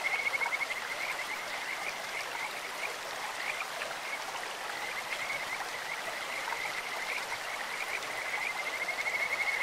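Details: Kajika frog calling in a clear mountain stream, high sweet whistled trills of rapid pulses rising and fading in bursts near the start, middle and end, over a steady rush of flowing water.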